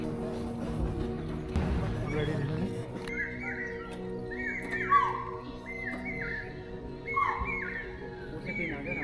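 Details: In Amagarh Leopard Reserve near Jaipur, Rajasthan, during the monsoon, chital give shrill, falling alarm calls about every second and a half at a leopard walking through tall bushes.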